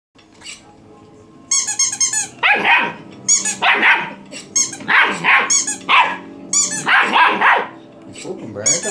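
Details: A puppy going mad at a toy gives bursts of sharp, harsh barks and yaps from about 2.5 seconds on, roughly twice a second. Earlier there are high squeaky toy sounds, and a man talks throughout.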